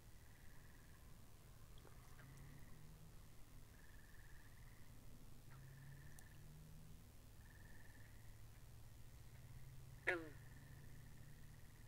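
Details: Pond frogs in a binaural recording: repeated soft, buzzy trills each lasting about a second, a few faint clicks, then one loud twanging croak near the end over low rumbling.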